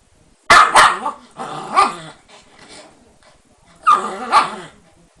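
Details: Shiba Inu, said to be so mischievous it was surrounded by lattice: loud harsh barks, a quick double bark, another bark, then a muffled grumble and a final loud double bark.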